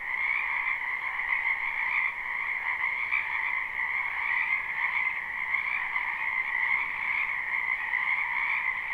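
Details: Frogs crowd a wetland behind a house in spring, their croaking taken live and unlooped: a constant wall of high, buzzy trills from many callers at once, evenly loud throughout with faint rhythmic flutter.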